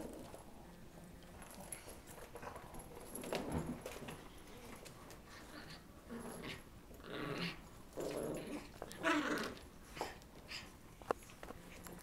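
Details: A full-grown female Boston Terrier is bullied by a tiny Morkie that drags her by her skin; intermittent dog growling and whimpering rise in scattered bursts over a scuffling, noisy indoor background.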